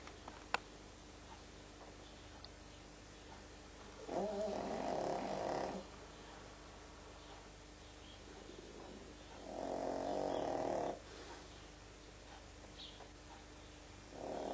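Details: Slumbering pug called Frank snores rhythmically: rasping, fluttering breaths roughly every five to six seconds, three in total, with quiet pauses and room hum between them.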